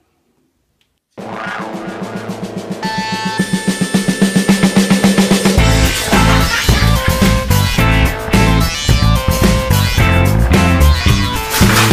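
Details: About a second of silence, then rock music with a driving drum kit and guitar builds and plays steadily to the end, with no animal sound heard.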